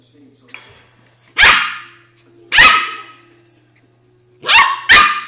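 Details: Australian Shepherd puppy vocalizing in four short, sharp yapping barks with a harsh, broadband edge, the last two in quick succession, separated by quieter faint whines and soft background tones.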